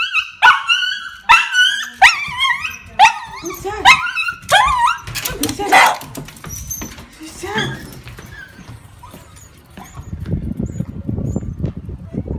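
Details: Pet Dachshund, a male, excitedly welcomes his owner home after a day of waiting: a rapid string of high, yelping barks and whiny squeals, roughly one per second, fading out as a human voice and rustling take over.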